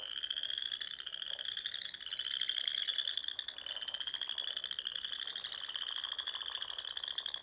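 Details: Many frogs singing at dusk in the Nebraska Sandhills during spring, their continuous high trilling merging into one shimmering, slightly rising drone with faint lower croaks underneath.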